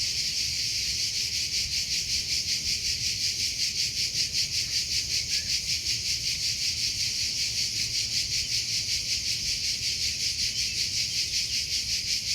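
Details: Cricket sound in nature: a sustained piercing trill broken into fast even pulses, unchanging in pitch and volume across the whole stretch, nothing else clearly audible.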